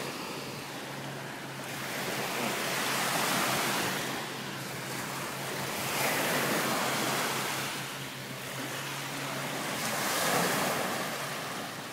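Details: Ocean surf rolls in slow swells, with wind noise over a steady low hum, and no animal sounds.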